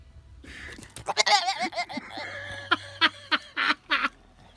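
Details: A black goat slowly walks up to the camera making odd noises: a wavering, quavering bleat followed by a series of short, nasal, clipped calls repeated about three times a second.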